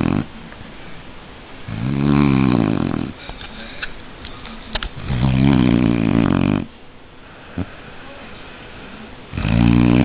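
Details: A sleeping Shar Pei snores in a small room, giving three loud, deep, vibrating snores over about ten seconds, each lasting one to two seconds, separated by quieter wheezy breaths.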